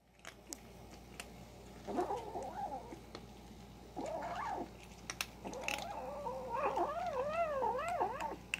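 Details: A kitten growls while eating, in low, wavering, moaning bursts with soft chewing clicks between them.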